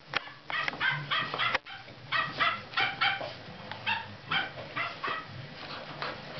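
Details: Golden retriever puppies from a litter, 58 days old, playing with their owner; a run of short, high yips and squeaky barks repeating quickly over several seconds, with a brief pause near the middle.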